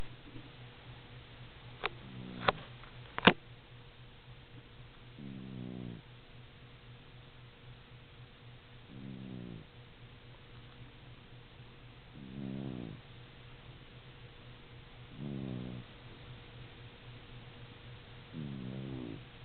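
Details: A pet female cat snoring indoors, each low, rattling snore breath lasting under a second and recurring about every three seconds, with a few sharp clicks near the start and a steady faint hum underneath.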